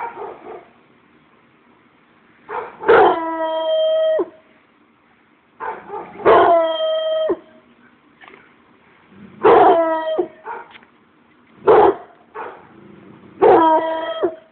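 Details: Treeing Walker Coonhound howling again and again, each loud drawn-out bay starting with a sharp attack and holding a steady pitch for about a second, repeating every three seconds or so, with softer yips between.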